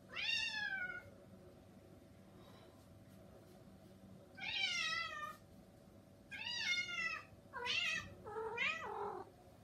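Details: Young cat pleading to be let outside, giving a run of loud harmonic meows, the last ones broken and wavering, one roughly every one to two seconds over a constant indoor hum.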